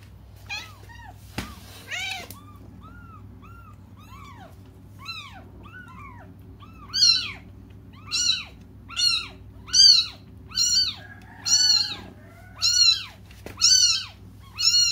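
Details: Kittens crying while waiting for their mother: thin, high arched meows, faint and spaced at first, then loud and repeated roughly once a second, each rising and falling in pitch, in a quiet indoor setting with a low background hum.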